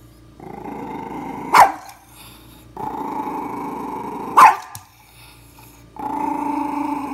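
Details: A dog barking at itself in a mirror growls in long rumbling stretches, broken by two sharp, loud barks.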